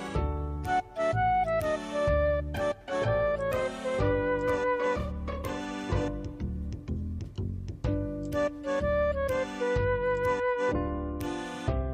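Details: Lively instrumental background music with bright plucked and bowed melody lines throughout; no cat sounds are heard.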